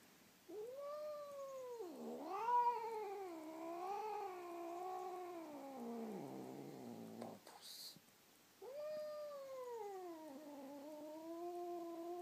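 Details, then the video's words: Domestic cat named Bamboo, indoors, answering to its name with long drawn-out yowling meows, wavering and harmonic-rich, running several seconds with a brief gap before another sustained, gently rising and falling call. "Cat Bamboo is singing / Bambusz cica énekel"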